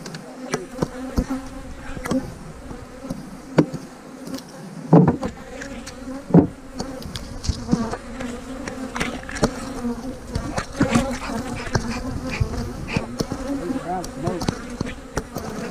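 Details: Colony of honey bees droning while hives are split, queen cells placed in the splits; a continuous low hum with stacked overtones persists under frequent sharp taps and knocks from hive work.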